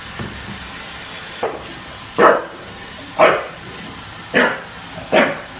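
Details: A bulldog named Junior, in NYC, confronting a Roomba: a few scattered, sharp barks with uneven pauses of about a second, over a low background hum.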